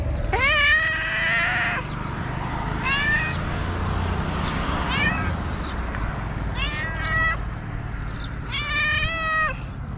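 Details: Homeless street cat in Morocco waiting for trash to be put out so he can search it for food: loud, insistent meows, some long and bending upward, others short pairs, over constant low background rumble.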